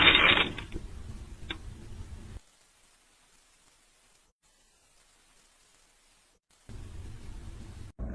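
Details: Loud clattering mechanical noise fades into a long silence, then dull rumbling returns; no animal sound is present.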